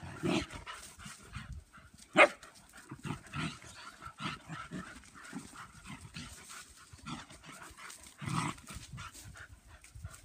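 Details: German Pinscher females playing together in a yard, giving scattered short sharp barks and yelps amid scuffling and panting, one loud bark standing out near two seconds and another burst toward the end.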